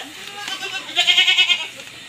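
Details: A pregnant goat on a backyard farm, calling while the herd waits to be fed, gives one short, trembling bleat of rapid pulses after a quiet moment of rustling.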